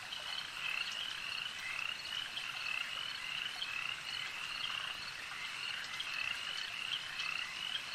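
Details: At a lake, many frogs croak together in a steady high-pitched trilling wall of sound, individual callers surfacing as quick repeated chirps over an even, unchanging background.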